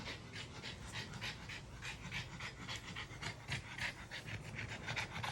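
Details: Maui, a French Bulldog, pants on a train ride: quick, breathy, hissing puffs at roughly three or more per second in a steady, slightly uneven rhythm, over a constant low rumble.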